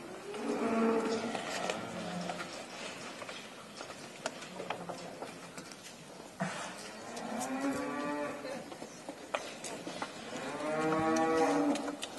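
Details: Hundreds of cattle leaving their pen; several long harmonic moos, one near the start, another around eight seconds and a loud one near the end, over a background of shuffling and low murmuring.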